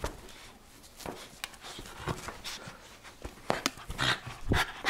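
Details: Miniature Schnauzer Mandoo playing tug-of-war, filmed around March 24, 2016; rapid uneven panting and huffing bursts mixed with sharp knocks and scuffles, a few louder strained growly puffs near the end, with a person's voice briefly.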